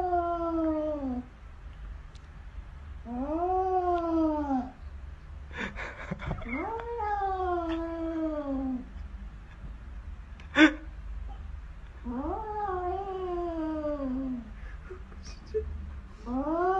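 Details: Domestic cat giving drawn-out, arching yowls, each rising then sliding down over about a second, repeated roughly every three seconds in five bouts, with a few sharp clicks and knocks between them over a low room hum.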